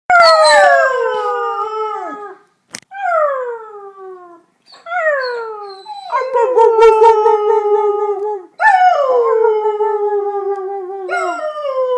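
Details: Several dogs howling together like wolves: long, sliding, falling tones with rich harmonics, overlapping voices starting and stopping in waves, brief pauses between bouts.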